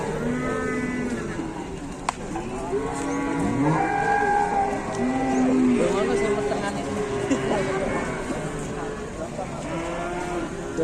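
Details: Farm cattle, with a calf rampaging and charging around; many overlapping moos and lowing calls from several animals, some short and bent, others long and steady, with voices mixed in.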